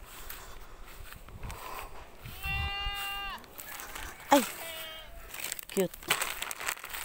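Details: Goat at a pen where goats have just given birth, giving one drawn-out steady bleat followed by a shorter second bleat, with people talking and exclaiming in the background.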